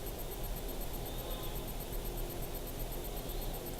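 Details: Steady broadband hiss and low hum fill a small indoor room, with no distinct animal sound standing out.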